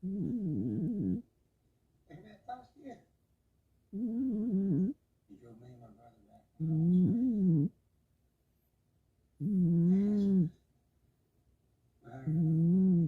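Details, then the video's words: A sleeping cat snores indoors, with loud, buzzy, slightly tonal breaths that swell and fade. They come in bursts about every two to three seconds, with quiet gaps between them. "고양이의 코골이"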